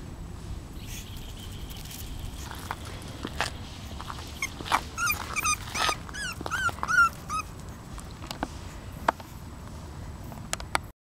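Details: Whining from Lokita, a female English Bulldog puppy aged 35 days: after several quiet seconds with a faint steady tone and scattered taps, a busy burst of thin, wavering squeaks and yelps runs for about three seconds, then soft tapping resumes.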